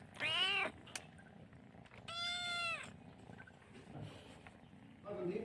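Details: A chatty kitten, a Chinese rural domestic cat that calls a lot and licks hands, gives two clear meows: a short, bright one, then a longer, steadier, drawn-out one, ending with a faint start of a third cry over low background hiss.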